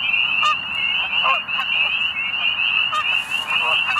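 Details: At a Middle Creek Wildlife Management Area pond in Pennsylvania at sunset, nearly spring, spring peepers call to mate in a steady shrill chorus of rising peeps, while geese honk loudly several times over it.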